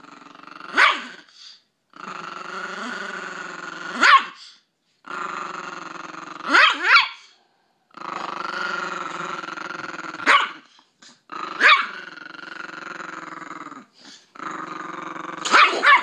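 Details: Pet Chihuahua named Anubis guarding his owner against her husband, giving sustained buzzy growls that swell into sudden snapping barks roughly every two to three seconds, with short silences between.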